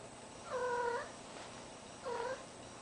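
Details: Cat in heat, indoors with a deaf ferret nearby, giving two drawn-out, harmonic, slightly wavering calls: a half-second yowl, a pause of about a second, then a shorter, fainter one, over a quiet background hiss.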